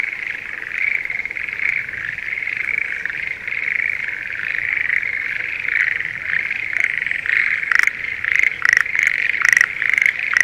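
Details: Schlegel's green tree frogs in breeding season calling from spring rice paddies near Sendai, Japan: a dense continuous chorus of mid-pitched trilling, with louder pulsed rattling bursts from a nearer frog appearing in the final seconds.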